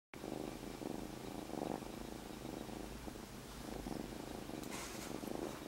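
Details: Newly rescued kitten Monaka purring while lying on a person's belly indoors: a steady low rumbling purr, continuous with a pulsing rhythm throughout, plus a brief faint rustle near the end.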